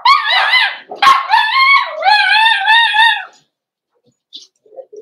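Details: Cavalier King Charles Spaniel puppies indoors in a home puppy pen, meeting several older dogs during a socialization session; drawn-out, wavering, harmonic whines rising and falling for about three seconds, followed by silence and a few faint short sounds.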